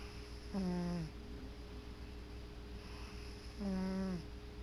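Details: Sleeping male cat snoring on his favorite chair, two drawn-out nasal snores about three seconds apart, each a low humming buzz that dips slightly at its end, with quiet breathing and a constant room hum between them.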